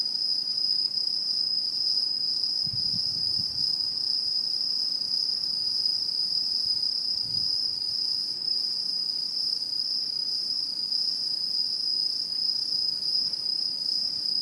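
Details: Chorus of autumn insects in rural satoyama hills, recorded 2016, a continuous shrill ringing trill without pause; soft low thumps near three and seven seconds briefly sound beneath it.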